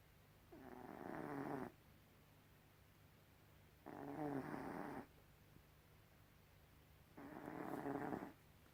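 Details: Gribouille, a pet cat, snoring in three broad raspy breaths about three seconds apart, each lasting roughly a second, with quiet low hum between them.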